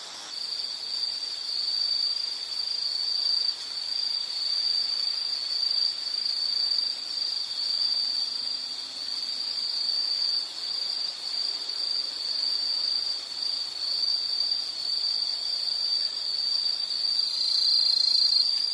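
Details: High insect trill held almost without a break, a bright sustained buzzing note that swells and fades slightly, meant as soothing nature sound for sleep or study; light background hiss.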